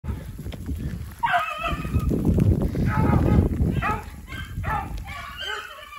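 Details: Two beagles, Whiskey River (Rio) and his sister Ripley, bay while running a snowshoe hare through woods after fresh snow and sleet turning to rain. Ringing, harmonic bays start after a quiet moment and repeat in quick bursts over a heavy low rumble.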